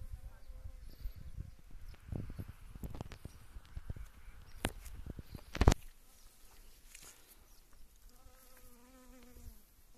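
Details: Western honey bees working yellow wild mustard blossoms in spring; rustling and crackling thumps dominate early on, then a clear, even-pitched buzz with layered overtones drones near the end.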